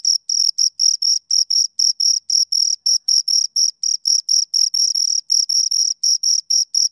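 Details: Two crickets keep up a fast, regular chirping of roughly twenty-six sharp, high pulses over seven seconds, each chirp brief and scratchy, with no competing noise.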